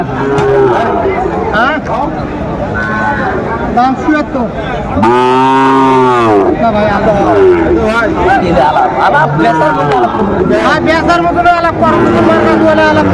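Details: Sahiwal bull at a cattle market bought by a farmer from Comilla, Bangladesh, 17 January 2025; one long, deep moo of about a second and a half rises and falls midway, surrounded by constant crowd chatter and bargaining voices.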